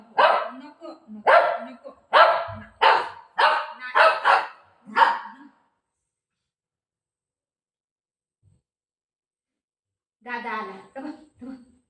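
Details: Pet dog Milo, teased as a drama-maker, lets out a quick series of about eight sharp barks roughly half a second apart, then falls silent before a final short burst; household voices are nearby.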